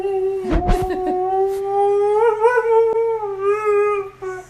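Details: Husky waking someone up, a sustained mid-pitched howl with gentle wavering bends, opening with a short burst of clattering noise; the tone holds for several seconds before fading, indoors.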